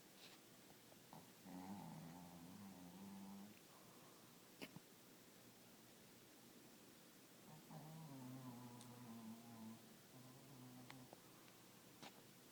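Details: Sleeping dog snoring very quietly; two drawn-out, rough, droning snores with a faint tonal hum, about six seconds apart, separated by near silence with a few soft clicks.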